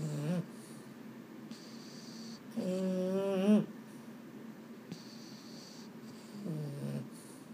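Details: Sleepless Boston Terrier (pet household with males Mambo and Cub) at bedtime: a short whine, then a longer wavering, slightly rising groan near the middle, and another brief whine near the end, all in a quiet room.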